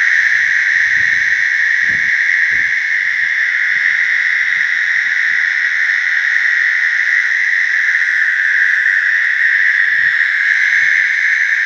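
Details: American toads calling to mate in a slough; a steady, unbroken high trill holds throughout, overlapping voices merging into a continuous chorus with faint low rustles underneath.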